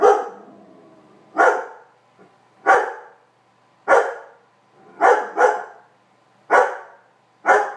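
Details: Weimaraner; barks; trying to get a cat off his bed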